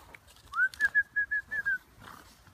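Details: English Bulldog litter, kept together with father and mother: a run of seven short, high, whistle-like squeaks, evenly spaced and gently falling in pitch over about one and a half seconds, against a quiet background.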